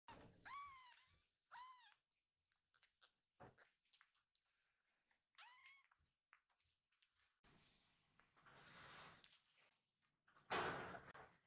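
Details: Rescued baby kittens waiting together indoors, then rushing happily toward their caretaker as she enters the room: three high, arching kitten meows in the first six seconds, followed by rustling and handling noises.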